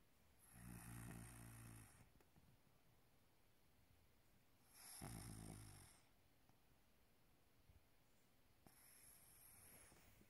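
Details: Maine Coon cat (Felis catus) snoring like a human, with slow, rasping breaths roughly every four seconds.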